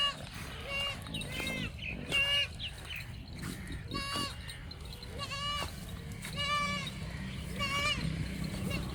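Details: Goats on a farm in Banhyal giving a rapid series of short, wavering bleats from several animals, overlapping and repeated roughly every second, with steady background noise and faint human voices.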